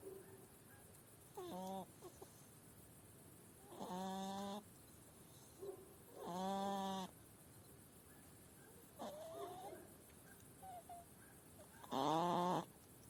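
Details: Sick female hedgehog calling ever more continuously at a farmhouse in northern Spain; five nasal, harmonic calls at irregular intervals, some short and some near a second long, a few bending upward, over quiet background.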